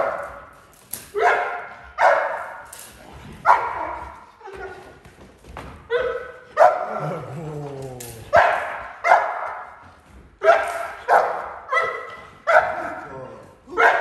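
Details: Neapolitan Mastiff, eleven months old, barking in foundation protection training: strong repeated barks in irregular bursts, interrupted mid-clip by a trainer's shouted commands, then the barking resumes.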